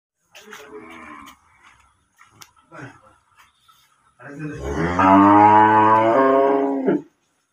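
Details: Holstein Friesian cattle being sold; a long, low, steady moo of nearly three seconds with rich harmonics follows a few seconds of brief human voices and scattered knocks.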